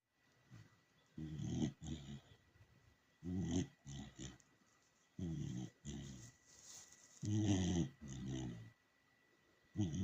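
A dachshund snores in low, rumbling, growly bursts, often doubled, returning every couple of seconds.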